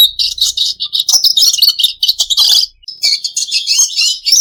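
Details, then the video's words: Pet red siskin song: dense, high-pitched chattering with rasping buzzes and rapid chirps, a brief gap before the fourth second, then renewed twittering. "Charming Bird Calls for Relaxation red siskin bird"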